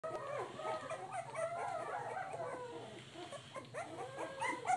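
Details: Three-week-old American Pit Bull Terrier puppies exploring their surroundings, giving a steady chorus of overlapping high whines and whimpers, some sliding up and down in pitch, with a low hum underneath.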